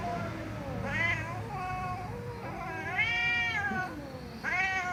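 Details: Domestic cats meowing loudly: several drawn-out, tonal meows that rise and fall in pitch, some overlapping, the longest around three seconds in, over a low background rumble.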